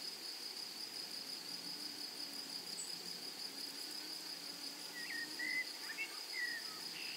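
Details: A continuous high-pitched buzz from grasshoppers fills a flowering meadow without pause, while a few short, sharp bird chirps break in during the last two seconds.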